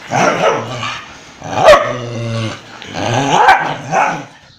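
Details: Indian breed dog fighting a German Shepherd, heard up close: loud, rough barks and a deep, drawn-out growl in quick succession.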